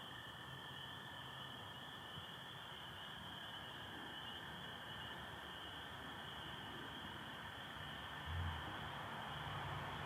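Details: A dense chorus of spring peepers, with American toads also present, in Michigan at night on 24 April 2025 under stars and some overcast; high piping peeps blend into a continuous ringing wall of sound.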